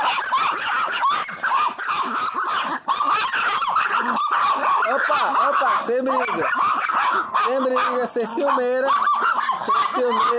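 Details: Pet Pinschers, one named Teco, crying very loudly amid a jealous squabble: dense, high-pitched whining yelps and arched, wavering cries, nearly continuous, overlapping a man's voice urging them not to fight.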